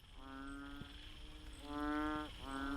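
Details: A banded bullfrog calls from a drain during a night walk in the Pasir Ris mangroves, Singapore, giving deep, droning, mooing notes, each held about half a second; the call is often heard after rain.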